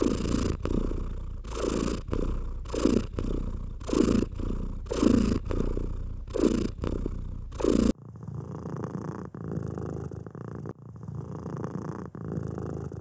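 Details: Domestic cat being stroked, purring in a low rumble while rhythmic brushing strokes sweep across the fur about once a second for the first eight seconds, then the purr continues more softly and evenly with only faint rustles.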